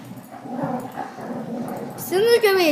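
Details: Puppies playing at a house; muffled shuffling and low voices, then two loud high whining yelps that slide upward and fall, with children's voices nearby.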